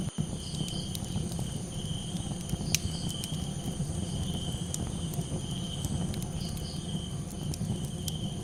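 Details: Crickets calling at night, a steady high-pitched trill running without pause beside softer pulsing chirps, over the loud low crackle and rumble of a campfire.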